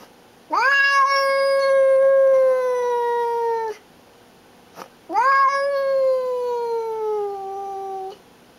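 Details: Pet cat named Baby, a female, guarding and showing who is boss. She gives two long, drawn-out yowls of about three seconds each, starting with a sharp rise, then held and slowly sagging in pitch, separated by a brief quiet pause.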